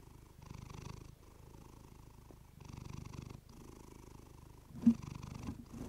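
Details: Close-miked purring of a female pet cat through a fluffy microphone: a rumbling, pulsing purr that swells roughly every two seconds with each breath, with a single short knock toward the end.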